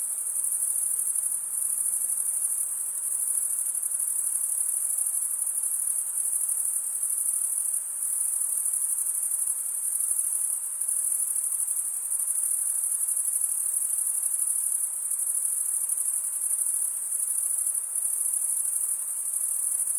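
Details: Night chorus of crickets in a summer forest, a constant piercing high buzz that swells slightly every few seconds, with nothing else audible.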